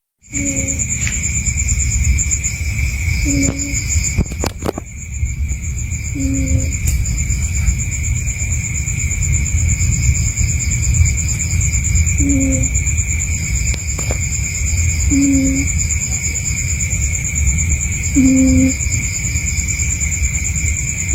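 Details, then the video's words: Sleeping cat snoring: short nasal whistle-like snores repeating about every three seconds over a steady high insect drone and a low background rumble. "kucing ini tidurnya ngorok"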